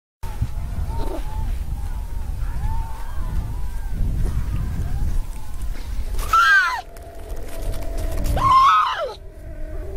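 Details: A white harp seal pup, said to be looking for its mother, gives two loud, wailing, falling cries about two seconds apart, after several seconds of low wind rumble with faint wavering calls.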